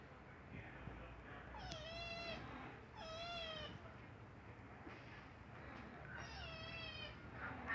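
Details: Meows from a kitten needing to poop: three plaintive, slightly bending meows spread over several seconds, with faint human speech and household noise in the background.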